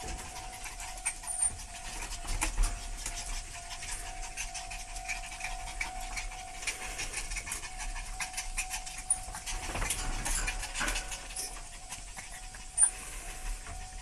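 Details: Dog panting quickly, rough breathy bursts of noise coming about three times a second in an uneven rhythm, with a steady faint electrical hum underneath and a few louder scuffs.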